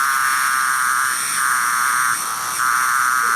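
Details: A male periodical cicada of the eastern U.S. (Brood X) gives its harsh, steady buzzing alarm call, which is made when it feels threatened.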